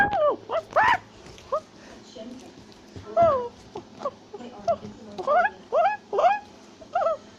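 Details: Tufted capuchin, also called black-capped capuchin, climbing a tree in South America and shouting and chattering: short harmonic whistled cries, some rising then falling, in quick irregular bursts with brief gaps.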